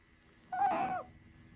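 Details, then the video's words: A single half-second squealing cry from Sakura, a female pet otter settling in for a nap, steady and slightly wavering in pitch before it drops off at the end, in a quiet room. "めっっっっちゃ鳴きながら昼寝に入るカワウソ Otter taking a nap with lots of cries"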